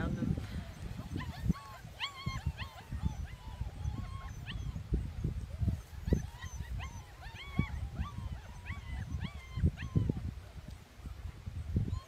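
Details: German Shepherd mother playing with her puppies: a run of short, high, squeaky yips and whining squeals, repeated in quick bursts over low thumps and scuffling, with a person talking throughout.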